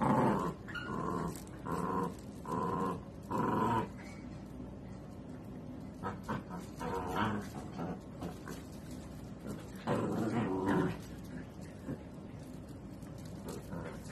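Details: Miniature dachshund at play: rough, buzzy growls in a string of short bursts, roughly one every second for the first four seconds, then looser and quieter grumbling with scuffling.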